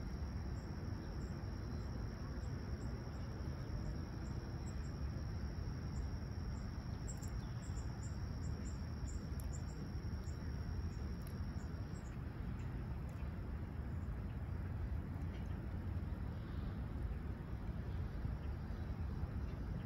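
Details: Crickets chirping at sunrise on a clear, calm summer morning at Humber Bay Shores, Toronto, 28 July 2020, about 20ºC. Rapid high pulsed trills over a steady high drone, with a constant low rumble of distant traffic underneath.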